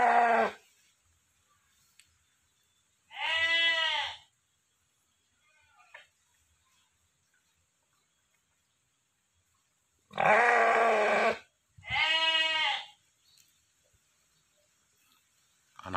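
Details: A big breeding ram, around 90 kg and the largest sheep in its village, bleats repeatedly: short nasal calls of about a second each, two of them close together near the end, separated by long silent pauses.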